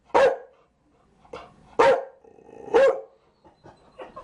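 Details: Chow Chow barking: three loud, sharp single barks about a second apart, with a few softer, shorter barks between and after them, in an otherwise quiet setting.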